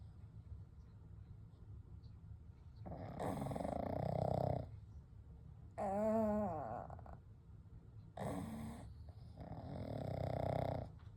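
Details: Gentle snoring and breathing from three sleeping pugs, Kou, Gen and Shun: four separate snores, some breathy and rough, one with a clear wobbling whistle-like tone, spaced a few seconds apart.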